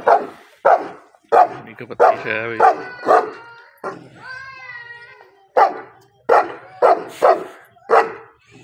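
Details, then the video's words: Dogs fighting, named Gabbar Badmash and Bravo: a run of sharp, loud barks in irregular bursts, broken by a rising and falling whine near the middle and a spell of quieter growling between them. "ghabar badmash vs Bravo Dogs Fight"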